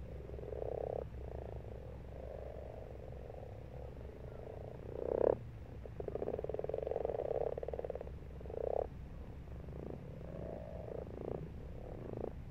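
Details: Frogs in a pond during March giving rolling, purring croaks in overlapping pulsed bursts, a loud close croak midway followed by a long rattling trill, steady low hum behind.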